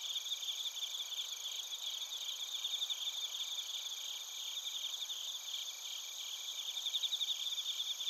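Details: Chorus of bell crickets and field crickets in Narita, Chiba, Japan, captured with a TASCAM Portacapture X8. Dense, high-pitched chirps pulse several times a second over a constant metallic ringing. No birds or people are heard.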